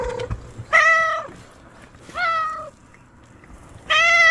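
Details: Cats of a street cat family gathered at a meal: three clear, steady, harmonic meows, each about half a second long, separated by brief pauses, in a quiet setting.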